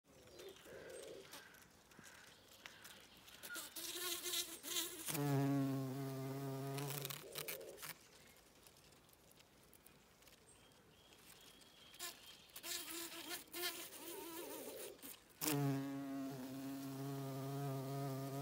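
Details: Bees working foxglove flowers on a regenerative farm in County Kilkenny, Ireland: low, steady droning buzzes pass close by in bursts of a few seconds, swelling loud and then fading, with quieter rustling between passes.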